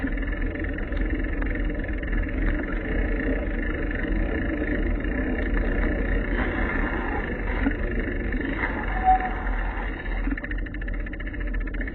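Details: Loud low rumble of passing vehicles on a street, with faint background murmur and no clear animal calls.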